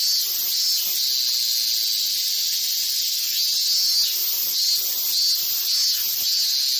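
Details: Cicada. Many cicadas sing at once, making an intense, high, hissing drone without a break. The buzz pulses gently in loudness roughly every half second as individual callers rise and fall within the chorus.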